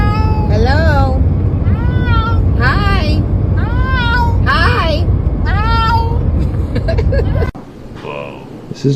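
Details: Talking cat uttering a rapid series of short, falling, vowel-like meows, about one every half second, over a loud low rumble. Human voices can also be heard.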